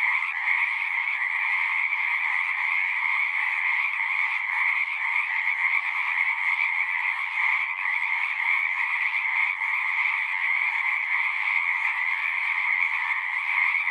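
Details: Frog chorus at a pond in a horse pasture, recorded on a Zoom recorder: a dense, continuous trilling din from many callers, steady throughout with two bright bands, one high and one lower, and no pauses or other sounds.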